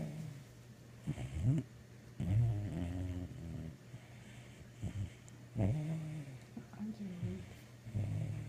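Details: A sleeping, dreaming mixed-breed dog snoring: low rumbling breaths in uneven bursts, with short whimpering, muttering noises between them.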